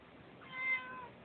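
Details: Pet cat meowing, said to be unhappy about another cat in its yard: a single drawn-out meow rising then falling over about half a second, quiet and harmonic, indoors.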